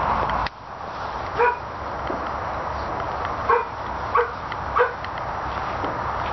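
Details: Russian Toy dog barking: four short, sharp, tonal barks, one alone near the start, then three in quick succession about half a second to a second apart, over a steady background hiss.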